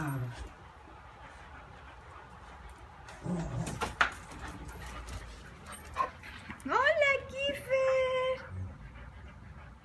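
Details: Kiefer, a neighbour's dog left alone all day, drops by wanting to come and play; after Spanish chatter, a high, drawn-out whine rises and then holds steady for nearly two seconds, with faint clicks and voices around it.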